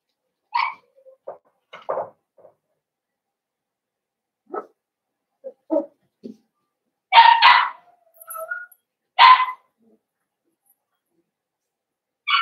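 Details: Five blenheim Cavalier King Charles Spaniel puppies born on New Year's in a home puppy pen: scattered short yips and squeaky barks, a few louder harmonic yelps near the middle, separated by silent gaps.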